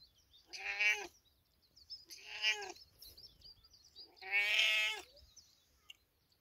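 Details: Big cat meowing in village life: three strong, harmonic meows spaced roughly every two seconds, the last one longest and loudest, with soft chirps between calls.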